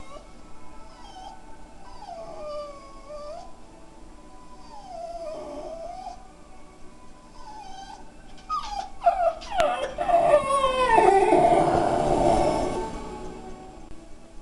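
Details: A Jack Russell Terrier, looking for the dog he sees on a screen (himself), whines in wavering, rising and falling tones, then breaks into a louder, howl-like yowl.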